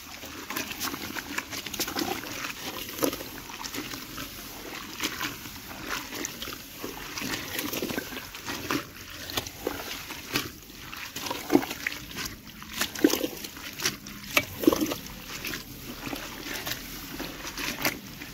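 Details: Farm pigs in Assam, India, grunting and snuffling in bursts throughout, with sloshing, dribbling water sounds and faint speech in the background.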